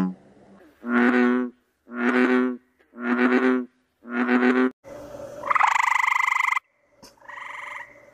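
A frog gives a run of deep, nasal, harmonic croaks, each about half a second long.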